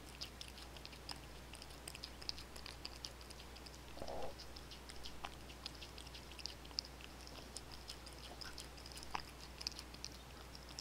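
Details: Kitties feeding indoors on chicken-flavored wet food, Royal Canin Ragdoll dry food and bonito flakes: a run of sharp crunches and wet smacking ticks, uneven in spacing, with a constant low electrical hum underneath.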